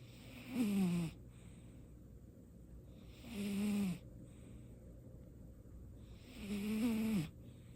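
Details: Domestic cat named Baekho, a clingy pet, snoring in its sleep for the first time; three separate snores, each a rough, nasal, droning breath with a slightly falling pitch, spaced about three seconds apart against quiet room background.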